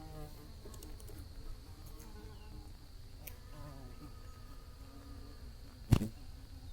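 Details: Bees buzzing under a blue sky, heard as a low, steady droning hum with faint wavering overtones, and a single sharp click near the end.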